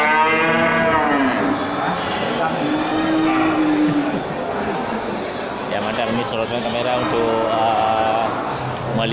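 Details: Large local slaughter cattle at Geulumpang Payong animal market on 8 May 2021. A moo opens, then a long level low bellow follows, set against constant background talk and market hubbub.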